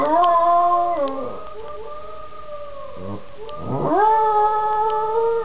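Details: Marzo, a domestic dog, howls along with a played sound clip: a sustained howl that slides downward and breaks off, then a second howl sweeping up and holding steady, over a constant two-pitch electronic tone.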